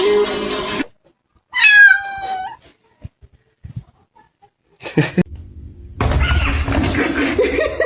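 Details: A pet cat lets out a short, wavering meow that slides downward, set between abrupt bursts of noisy sound, brief taps and a loud mixed passage at the end.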